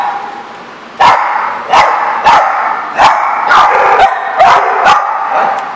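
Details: Dogs at The Barking Lot, dated 2/10/14, giving sharp barks roughly every half to one second, each bark a loud clipped burst over a steady background of overlapping yelps and chatter.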